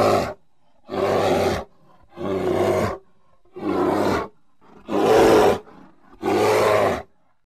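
A grizzly bear gives six deep, rasping roars, each under a second long, repeated about every second and a half with short silences between.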